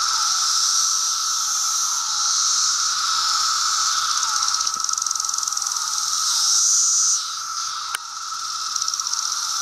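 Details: Chorus of 17-year Brood II periodical cicadas in Virginia in June, insects gathered in apple trees on a bright day: a dense, steady high buzzing hum overlaid by repeated falling whirring phrases about every second, with a brief click near the end.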